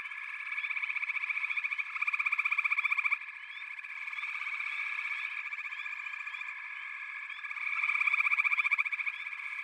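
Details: Overlapping frog calls form a constant buzzing, pulsed chorus, with louder bursts of fast trilling near two seconds and again around eight seconds.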